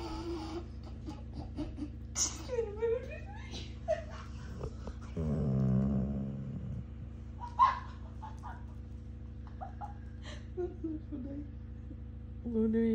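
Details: Luna, a moody Labrador retriever, moaning every time the sister moves. A long, low groaning moan swells in the middle, with thin high whines and squeaks before and after. Brief human laughter and voices are also heard indoors.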